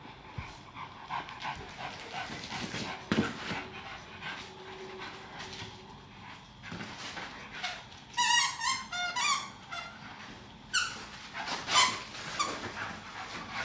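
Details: English Staffordshire Bull Terriers at play indoors: puppy Mr Shaq and his big sister Ms Cali in a tug-of-war. Scuffling and thumps give way to bursts of high, squeaky, harmonic yips and whines, clustered in short runs near the end.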